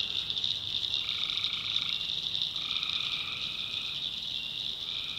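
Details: Swamp at night in North Carolina, tree frogs calling: over an unbroken shrill chorus, lower buzzy trills come in one after another, each roughly a second long, separated by short gaps.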